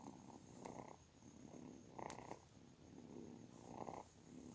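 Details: Kitten purring in low, rough pulses, with three stronger bursts about every one and a half seconds over a steady faint hiss.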